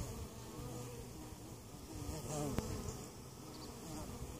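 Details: Buzzing honey bee hive at Mt. Perry, Ohio, a weak colony that survived winter, opened for inspection and oxalic acid treatment against varroa mites; thick, rough drone of many wings with a brief louder swell and a knock midway.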